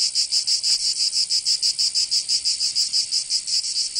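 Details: Provençal cicadas in summer, southern France, give a piercing rasping drone pulsed in quick regular throbs, about five per second, alone without other animals or noise.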